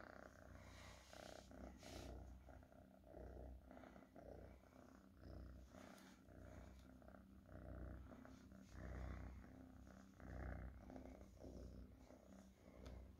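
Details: Domestic cat purring: a low, steady rumble that swells and fades with each breath, with occasional soft clicks and rustling.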